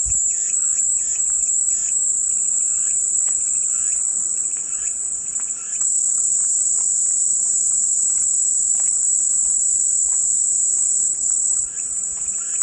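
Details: Relaxing cicada drone: an unbroken, piercing high-pitched hiss that dips briefly near six seconds, over soft patterned chirping notes early on and a faint low hum.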